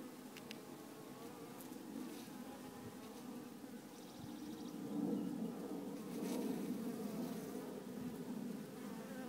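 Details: A dense, steady hum of many honey bees buzzing together inside a small hive, from a swarm confirmed to be without its queen.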